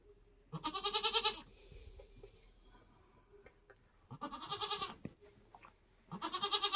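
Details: A Nigerian goat doe delivering her kids on a homestead lets out three loud, tremulous bleats, one early, then two close together near the end, separated by quieter stretches of shuffling.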